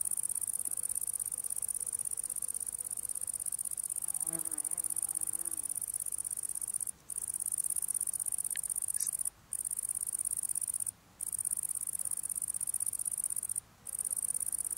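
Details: Italian tree cricket close up in the evening while feeding: a continuous trilling song high above 8k, steady throughout, broken by a few short silent gaps, with a brief low sound near four seconds.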